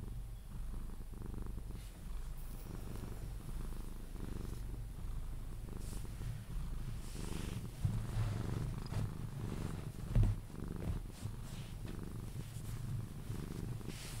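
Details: Sphynx cat named Pepe purring steadily as he is cuddled and drifts off to sleep; deep, even rumble pulsing with each breath, soft rustling and one louder bump near the end.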